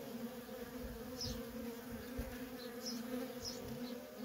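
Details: Quieter, even droning hum of worker honey bees at a feral colony, a thin buzzing tone holding steady under soft low rumbles and a few faint, high chirps.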